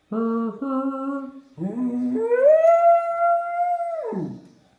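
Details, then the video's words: Dog howling: two short low steady tones, then a long sustained rising howl that holds level for about two seconds before falling away, clear and dominant in a quiet room. "Cane che ulula"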